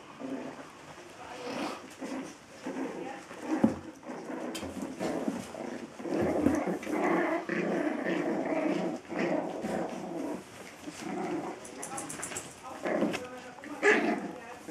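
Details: Biewer terrier, one of the dogs Lola and Rickie, inside a small room; steady, throaty growls come in long, continuous stretches with brief pauses, broken by occasional higher yips and faint rustling.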